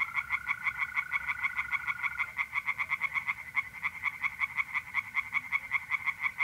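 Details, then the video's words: Rapid, rattling pulses from tree frogs in a pond, a continuous chorus through the whole stretch, with a smooth, high mole cricket trill in the first seconds; night in mid-April, north-east Italy. "singing tree frogs in pond and trilling mole crickets by night"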